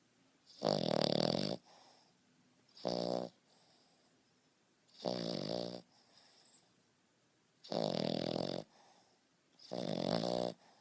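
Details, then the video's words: A 5.5-month-old male French Bulldog puppy snores loudly, each rasping breath rattling in a steady rhythm, like a grown man. "French Bulldog Snoring"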